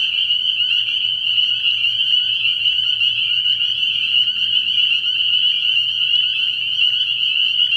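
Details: Spring peepers calling at night from a frog pond early in the year: a dense chorus of shrill, high peeps merging into one steady ringing band, with a faint low hum underneath.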